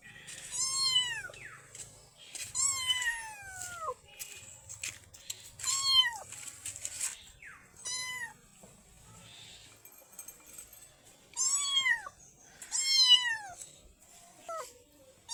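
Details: A black baby kitten gives loud, arched, whining meows in irregular bursts, with a quiet pause in the middle before several more cries.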